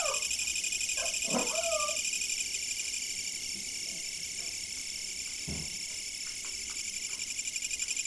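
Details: Dense insect chorus caught on a fixed camera for sleep, a continuous shrill wall of high trilling that pulses rapidly and evenly throughout, while a dog gives a few faint whimpers and yips far beneath it.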